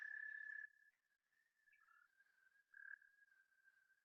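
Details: Eastern American Toad (Anaxyrus americanus americanus), trill: breeding-season calling at the water in spring.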